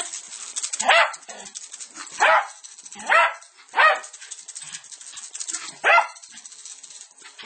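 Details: Maestro the Lakeland Terrier, eager to get his paws on a pair of maracas from South America, gives five strong, harsh barks spaced roughly a second apart, with rattling of the maracas filling the gaps.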